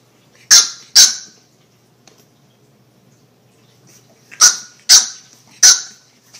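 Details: Puppies barking: sharp, high-pitched yaps, two quick ones close together, a pause of about three seconds, then three more in fast succession, with a quiet background.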